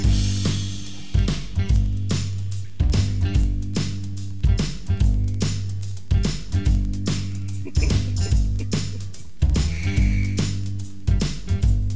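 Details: Upbeat funk music with guitar and drum kit plays throughout in a regular beat, and no animal sound is heard.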